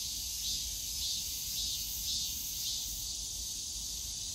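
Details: Cicadas calling from the bamboo forest of Yongsan Family Park on a summer day: a dense, steady high buzzing that swells in soft pulses about twice a second, over a low rumble of park noise.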